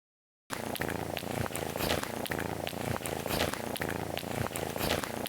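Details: Domestic cat purring because it feels good, a buzzing motor-like rumble pulsing steadily with the breath, about every second and a half, after a brief silent start.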